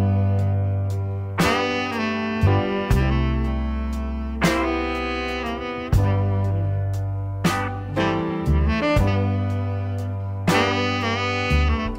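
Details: Jazz saxophone phrases over bass and guitar chords play throughout, with no animal sound heard.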